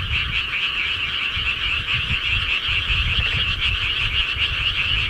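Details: Many frogs croak in the countryside at night, their rapid overlapping trills merging into a constant buzzing chorus over a steady low rumble.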